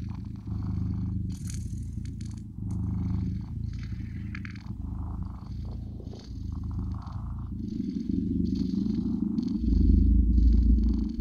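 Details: Blue British Shorthair kittens purring, a steady low rumble alternating with breathy pauses, with soft rustling noises above.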